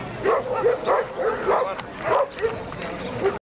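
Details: Šarplaninac dog at a CAC dog show in Banja Luka, barking in a rapid series of about nine deep, chesty barks over three and a half seconds, with faint crowd murmur behind.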